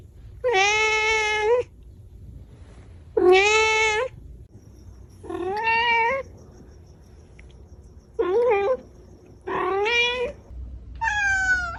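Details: Domestic cat meows in a compilation: two long, flat calls, then shorter, wavering meows rising and falling in pitch, ending with a higher thin mew.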